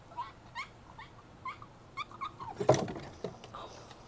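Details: Five-year-old female Boston Terrier, indoors, excited before a trip to the pet store for new toys and treats, calling to her owner: short rising nasal whines with harmonics about every half second, then a louder burst of mixed noise.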